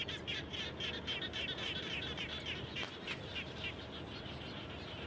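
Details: Frogs calling around a home after rain, a dense continuous chorus of rapid pulsed trilling notes, fast and overlapping, with a few sharp chirps mixed in.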